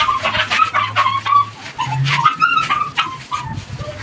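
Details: A rescue mother dog's newborn litter in a foster home squeals almost continuously. The cries are high and piping, some short, some drawn out, mixed with a low hum and soft rustling and bumping.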